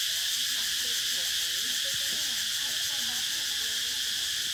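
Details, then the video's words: Cicadas chirping in an unbroken, high-pitched sizzling drone of constant loudness, with faint rising and falling chirps and one brief low thump underneath. "សម្លេងរៃយំ | The chirping sound of cicadas"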